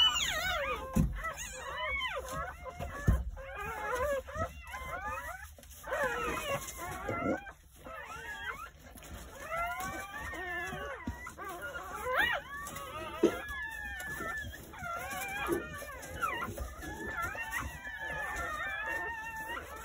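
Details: Crying from a litter of nine Jindo puppies born on New Year's Day at a rural house, a dense chorus of wavering whines and squeaks from several pups, with a few dull thumps.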